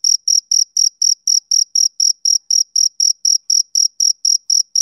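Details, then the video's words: Male cricket chirping on a summer evening: a steady train of short, high, pure chirps, about four each second, around nineteen in all, evenly spaced with clean silences between them and no other sounds. "Cricket Chirping Sound Effect"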